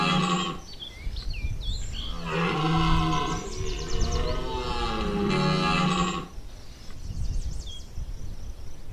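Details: Red deer bellowing during the September 2021 rut at Chambord: a long, deep, harmonic roar swells and holds for several seconds after a shorter opening groan, while small birds chirp and twitter faintly above.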